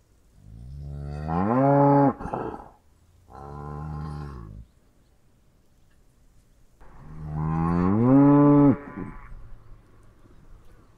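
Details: Cow lowing in three calls: a long moo rising then holding steady with a rich harmonic tone, a shorter flatter second moo, a pause, then another rising drawn-out moo; quiet background between calls.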